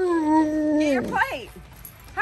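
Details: Alaskan Malamute at home with its companion Tonka or Monroe, fed French toast waffles, gives a long steady harmonic howl that slides downward, then a few short arching wavering yodels, while a woman keeps saying get your plate.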